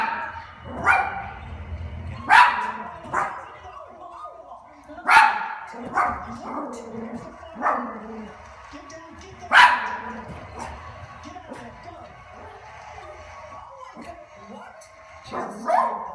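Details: Puppy watching dogs on TV, bouncing, hopping and trying hard to get them to play: loud harmonic barks and yips come at irregular intervals of one to three seconds, mixed with quieter voices and sounds in the background.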